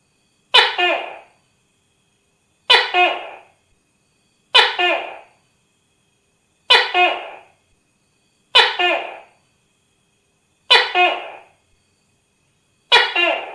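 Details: Tokay gecko, a real recording, giving sharp, croaking bark-like notes, each fading fast, repeated at regular two-second intervals in a long even series with no other sounds.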